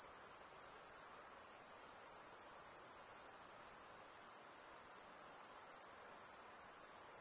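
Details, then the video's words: High-pitched insect chorus by a lake, an unbroken shrill ringing tone sustained throughout with a light background hiss. "Relaxing high pitched INSECT sounds"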